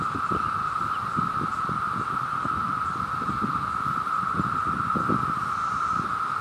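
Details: Two cicadas together make a steady, unbroken buzzing drone, with wind rumbling and rustling underneath.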